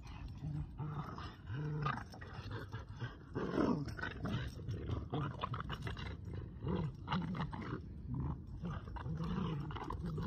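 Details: Boston Terrier and Keeshond playing tug with a broken rubber toy, growling steadily and roughly throughout, low and rumbling with surging bursts, plus scuffling noise from the struggle.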